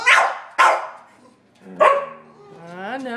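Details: A Sheltie, a Collie and a French Bulldog bark at a squirrel on a rainy day in March: two loud sharp barks half a second apart, then another bark followed by a rising, wavering whine.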